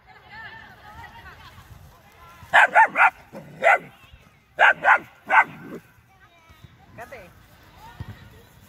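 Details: A Belgian Malinois in Culiacán, Sinaloa, Mexico, gives two quick bursts of loud, sharp barks, with a person talking around them.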